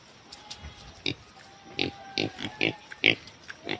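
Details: Raised native pigs giving a run of short, harsh, noisy grunts and squeals, about two per second, irregularly spaced, with a faint steady hum in the background.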